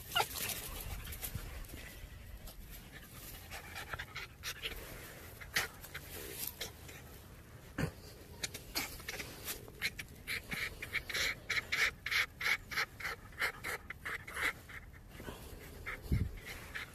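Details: Red fox 'laughing': a run of rapid, breathy, panting bursts that grow louder and more regular toward the end, over steady broadband background noise.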